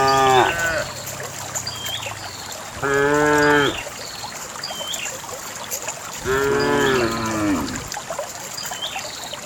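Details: Cattle being driven in a herd down a narrow path toward the farm pen; three rich moos, each roughly a second long, come at irregular intervals, with faint bird chirps and rural ambience between them.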